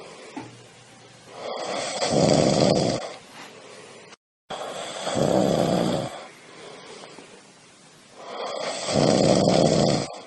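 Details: A dozing cat snores steadily: three loud, coarse, buzzing inhalations spaced about three and a half seconds apart, with faint breathy exhales in the gaps, in a quiet room.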